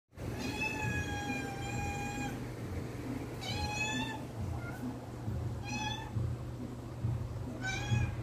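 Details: Megan, a female house cat, meowing for her food container to be opened: a very long, steady drawn-out meow followed by three shorter meows, over a constant low indoor hum.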